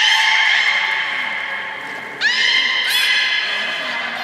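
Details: A beluga whale at Port of Nagoya Aquarium, 16 March 2019, gives sustained harmonic squealing whistles broken by two quick upward-sweeping notes during playtime after a feeding session.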